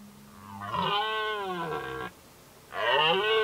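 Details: Two bellows from a red deer in the 2019 rutting season. A hoarse roar of about one and a half seconds is followed after a short pause by a second, louder roar, over faint low background noise.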